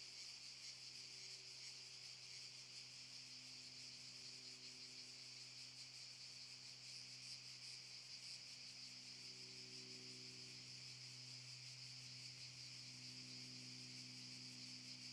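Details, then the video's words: Cicadas in Park Šuma Musapstan, Zadar, Croatia, in August 2014, fill the air with a steady, high, shimmering buzz that never pauses. "Cicadas chirping ★ Zadar"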